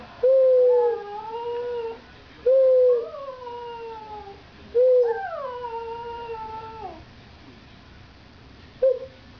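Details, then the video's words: Gus, a Border Terrier, howls in three drawn-out tonal notes, each opening with a sharp onset then sliding downward and fading, spaced about two seconds apart, followed by a brief final yelp-like note. "Border Terrier Gus Howling!"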